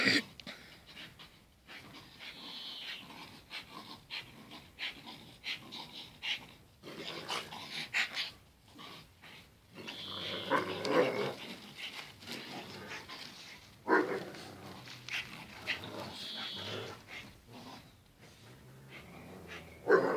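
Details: Heavy panting and breathy growls from two dogs, Zion and Tyson, during their daily fierce fight, rising into noisy rough snarling bursts midway, with scuffling and pauses between rounds.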